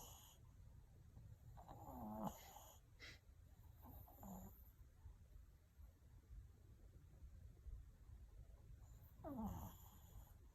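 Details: Sleeping Maltese dog snoring, soft low wheezy snores with a few rasping, nasal breaths rising briefly in pitch, spaced irregularly over about ten seconds in a quiet room.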